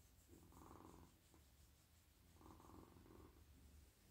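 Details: A very friendly, soft male domestic cat purrs while melting in a lap, stroked on head, neck and whole body at night; a close, hushed rumbling purr swells and fades in two long breathing cycles.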